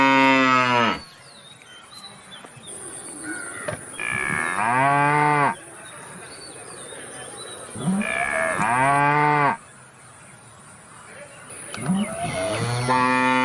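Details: Cow mooing in a series of loud, harmonic-rich moos lasting one to two seconds each, some rising then falling in pitch, separated by quieter gaps with a steady high electrical whine in the background.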